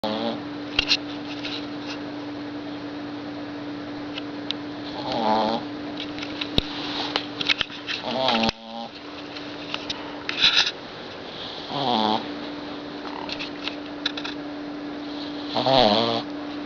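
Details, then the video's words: A sleeping 6-month-old Boston Terrier puppy snores in rough, rasping breaths every few seconds. "Boston Terrier puppy snores like a lumberjack"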